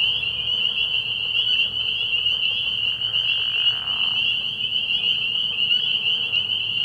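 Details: Spring peepers in full chorus at a night-time frog pond in early spring; overlapping shrill peeps fuse into a steady, bright whine that holds level throughout, with a faint lower hiss around the middle.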